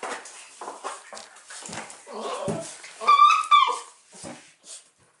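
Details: Indoor dogs, a 13-month-old Cairn Terrier and a 40-day-old Irish Wolfhound puppy; a brief high, tonal whine rises and falls just past the third second, surrounded by scuffling, rustling noises and a faint human voice.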